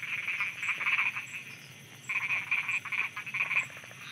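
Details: Night frogs in Thailand croaking in two bursts of fast, rattling pulses separated by a short pause, over a steady hiss of insects.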